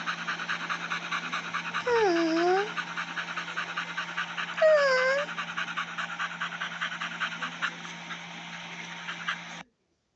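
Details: Puppy sniffing at the camera: rapid, breathy sniffs, about three a second, with two short rising-and-falling whines near the start and middle, over a steady low hum.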